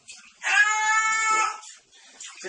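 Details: A cat in a box yowls indoors with one long, steady, strongly harmonic wail of about one second. Faint murmurs come before it and soft human sounds follow.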